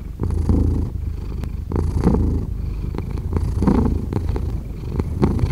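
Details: A cat purrs in a deep, rough rumble that swells and fades with each breath roughly every one and a half seconds, with a few faint clicks in the background.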